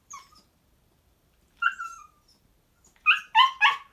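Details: Shiba Inu named Moko, a mischievous pet dog, indoors: thin, drawn-out whines that slide downward, then a quick run of three sharp, bright yips near the end.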